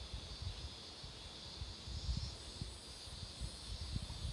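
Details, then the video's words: Cicadas beside a road lined with blooming marigolds: a steady, unbroken high hiss-like drone holds for the whole stretch, over low rumbling gusts of wind or passing traffic. "매미소리도 들어 보세요"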